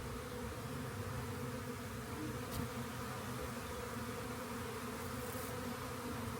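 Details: Honey bee swarm beside a rain gauge, later gathered up: an unbroken low buzzing hum of massed wings, with one sharp click near two and a half seconds.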